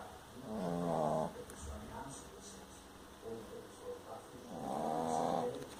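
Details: Pet dog snoring in its sleep, compared to a lion's roar: two long, rough, droning snores about a second each, with a softer rasping breath between them in a quiet room.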